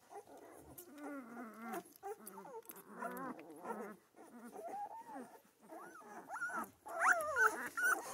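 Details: Central Asian Shepherd puppies in Michigan whimpering and squealing together, overlapping high wavering whines that rise and fall, several voices at once, growing louder toward the end.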